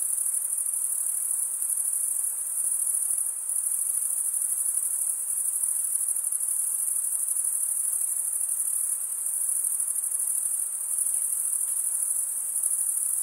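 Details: Continuous high-pitched cricket chorus from stridulating males, a dense shimmering trill that never pauses, faint pulsing woven through it and a quiet hiss underneath; nothing else is heard.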